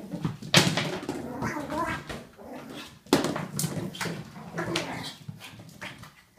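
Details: Ollie the pug going crazy on his toy: throaty play growls and a couple of sharp bark-like yelps, loud and continuous with snorts and scuffling indoors.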